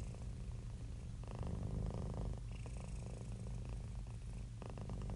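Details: Domestic cat purring happily while relaxed: a deep, buzzing rumble held without pause, with brief brighter rasps as the breath changes direction, in an otherwise quiet setting.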